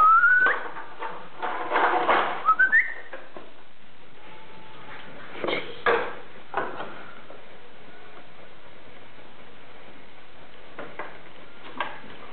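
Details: French Bulldog puppies, three siblings, tussle for a bottle; a pair of thin, upward-sweeping squeals open the recording, followed by scattered thumps and shuffling, then a long stretch of quiet room hum.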